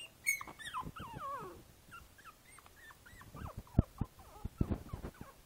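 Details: Boston Terrier puppy named Izzy, five weeks old, in a basket, recorded 12/4/2011: thin high whimpering squeals, some sliding down in pitch, others hooked and rising, in rapid series, with soft rustling and thumps between.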